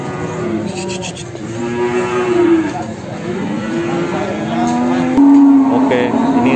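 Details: Large Simmental cattle at the Sragen animal market in Indonesia give a series of drawn-out lowing moos, some falling at the end, one stronger moo near the close, with market chatter and clatter around them.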